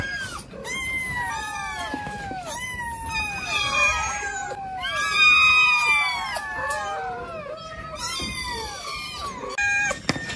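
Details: Silly cats kept together in a cat cabinet give a chorus of overlapping meows. Bursts of high, falling, nasal cries come in clusters about every two seconds, with short gaps of near quiet between the clusters.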